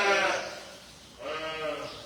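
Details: Sheep in a barn bleat loudly although they have already been fed: a wavering, nasal bleat, then a second, slightly quieter one about a second later. Chirpy house sparrows rattle in the background.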